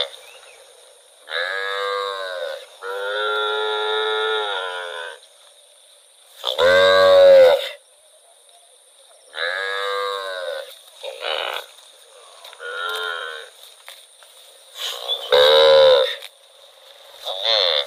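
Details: Cow wandering through rural rice fields calls again and again, with six or seven moos of varying length over eighteen seconds. Some are long and even, others short and harsh, separated by brief pauses.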